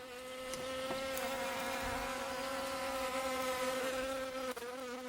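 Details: Asian hornet (Vespa velutina) at a beekeeping apiary, where electric harps and muzzles are used against it: a steady, droning wing buzz with rich stacked overtones, holding an even pitch for about five seconds, with faint ticks in the background.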